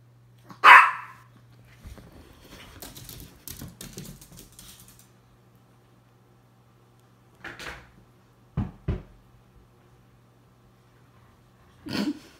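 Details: Miniature Pinscher barking: one loud, sharp bark, then soft shuffling sounds, followed by short, abrupt barks scattered over the next several seconds, with a last bark near the end; a steady low hum runs underneath throughout.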